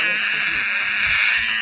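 Tiger cub giving a high, drawn-out, mewing yowl that holds steady throughout.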